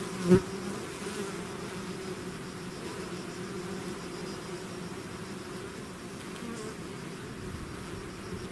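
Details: Bee swarm out of its hive, natural recording: a steady, dense low hum of many wings droning without pause, with one brief knock near the start.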